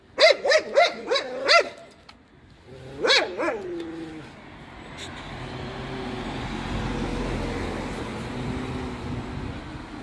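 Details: Karst Shepherd dog giving a rapid run of five barks, then after a pause two more, followed by a drawn-out whining tail; steady traffic-like rumble and hiss fills the rest.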